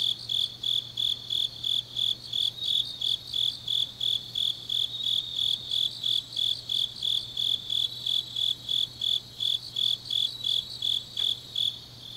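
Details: Grass insects singing on a deep autumn night in Changnyeong, South Gyeongsang, Korea: steady high chirps repeated about three times a second, with a fainter shimmering layer above and a low constant hum beneath.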